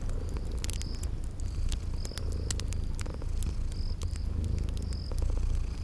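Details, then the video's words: Cute sleeping kitties purr with a low, even vibration beneath loud popping fire crackles, while a high-pitched chirp repeats roughly every second in a cozy spring garden setting. "Cute Sleeping Purring Kitties"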